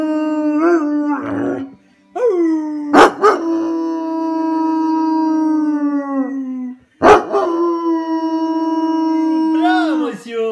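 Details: A one-year-old male Weimaraner that loves to "sing" howls in long, steady, mid-pitched notes that sag slightly at the end.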